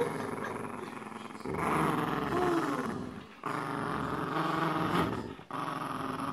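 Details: Boxer and Jack Russell Terrier pets tugging at a penguin toy indoors; deep continuous throaty growling, louder from about two seconds in, dropping briefly twice, with faint rustling.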